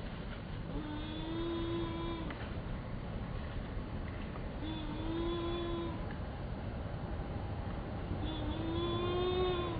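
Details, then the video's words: Baby monkey screaming: three drawn-out tonal cries, each rising then holding steady for about a second and a half, repeated roughly every three and a half seconds over a constant low engine rumble. "Why is this cute baby monkey screaming"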